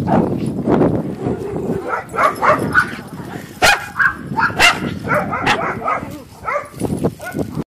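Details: Dogs at play: short, sharp barks and higher yips, fired off irregularly at changing pitches, with overlapping voices in the background.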